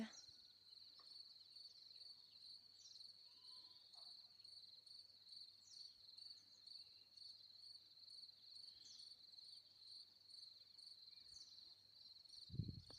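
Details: Crickets sing in alfalfa grass in a neighbour's field near a garden in early summer, first heard the day before, during a long dry spell before hoped-for rain; a steady, high, shimmering trill that runs on without a break.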